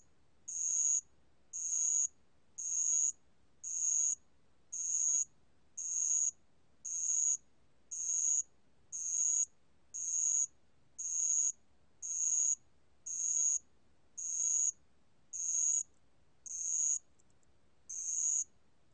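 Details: Band-legged ground cricket, 2020 National Institute of Biological Resources recording, repeating short shrill ringing trills about once per second for the whole stretch, regular and clear over near silence.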